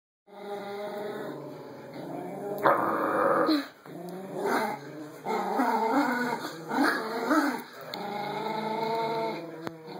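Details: Two Yorkie-Pom puppies, one named Momo turning territorial, fight over a rope toy. Rough, buzzy growls rise and fall in uneven bursts, broken by short gaps. A steady electronic whine runs underneath.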